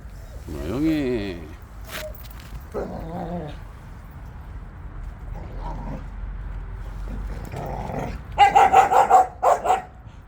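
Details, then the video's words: Jindo dogs out on a walk: a rising, wavering whine early on, quiet stretches with a voice in the background, then a quick burst of sharp barks near the end. "진돗개들의 산책"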